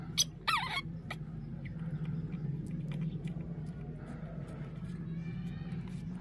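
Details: Spoiled, easily angered baby monkey: two short, sharp wavering squeals within the first second, quickly repeated, followed by a low steady hum, scattered faint clicks and soft tonal murmurs for the rest.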